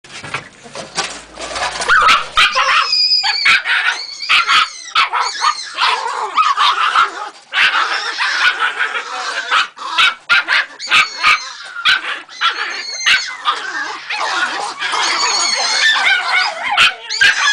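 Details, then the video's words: Three-month-old Jagdterrier puppy letting out a dense, nearly continuous run of shrill squealing yelps and whining cries, overlapping harmonic notes with short pauses, plus scattered sharp clicks and knocks. "Jagdterrier 3 luni"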